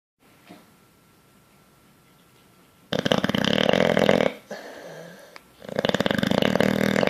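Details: Bulldog fast asleep, snoring while dreaming and twitching: after about three seconds of near silence, loud rough rattling snores with a broad throaty buzz, a brief pause, then another sustained snore indoors.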